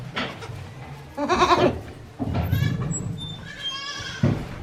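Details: Baby goats a day after birth, Yoshigake farm, 17 April 2024. A short, strained bleat, then a longer, quavering bleat with wavy upper harmonics, and a brief final cry over a low background rumble.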